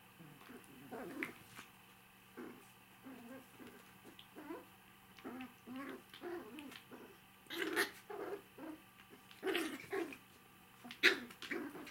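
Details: Five-week-old puppies, three remaining littermates, playing indoors on an evening; a run of short low growls and whimpers in uneven bursts, growing louder toward the end with a few sharper yips.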